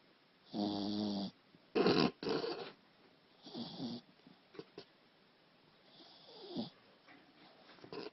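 A Shih Tzu snores in uneven bursts, each a rasping, nasal rumble lasting about half a second. Some breaths carry a low, buzzy grunt, while quieter snuffles fill the pauses between them.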